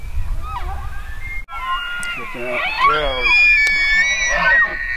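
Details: Bugling elk: a rising, layered whistle climbs steeply and breaks into a shrill, sustained high tone with squealing overtones, ending in a second wavering cry.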